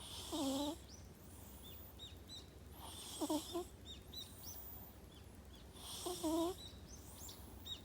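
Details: Sleeping pet cat snoring, said to possibly have small nostrils but in good health; whistly, tonal breaths rising then falling, repeating about every three seconds, with small birds chirping outside in the background.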